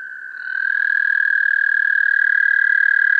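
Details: American toad starting its song, recorded with a parabolic microphone: the trill swells in loudness within the first half second, then holds as an even, rapid, musical trill to the end.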